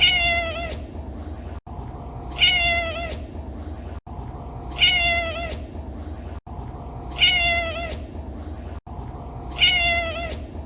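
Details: Domestic cat meow repeated five times at regular intervals, each call clear and high with rich overtones, lasting under a second and tailing downward, while a low steady hum continues throughout.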